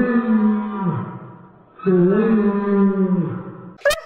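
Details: A whining Dobermann gives two long, moaning notes, the first sagging downward at its end, the second rising then holding steady, deep and whale-like, likely heard slowed down; a brief sharp noise follows.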